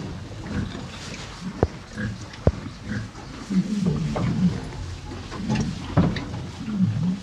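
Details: Hay being eaten by two farm cows: steady low grinding and crunching, a couple of sharp clicks, and gentle snuffling breaths running through the chewing.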